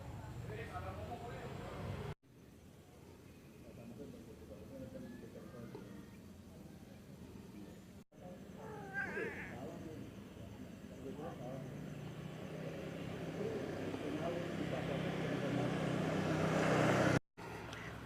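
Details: Orange stray village cat named Piu, living around a house but never kept indoors, called by name while being fed; several short harmonic meows rise and fall amid a person talking, with a steady background hum growing louder toward the end.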